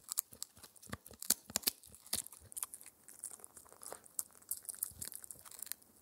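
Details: Rapid, bright crunching as Spencer, a four-month-old male Shetland Sheepdog puppy, chomps a raw air-dried ear dental treat inside. Clusters of sharp crackles and crinkles run about two to three per second, with no voices.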